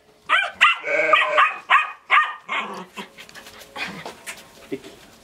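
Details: A dog at a sheepfold barking at the sheep, a dog said to be eager to go with the flock to mountain pasture. Several sharp, harmonic barks come in quick succession, then fainter yips, while a man talks.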